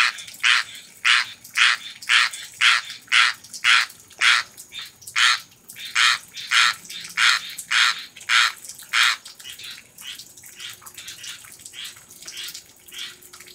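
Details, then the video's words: A tree frog in Florida repeats harsh, rasping croaks about twice a second, calling for rain. "Singing Tree Frog"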